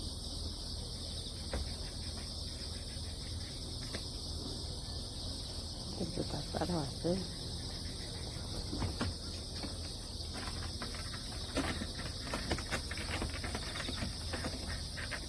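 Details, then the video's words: Crickets keep up a continuous high trill after a typhoon, while a woman talks and scattered clicks and knocks interrupt the steady insect chorus over a low rumble. "귀뚜라미, 풀벌레소리"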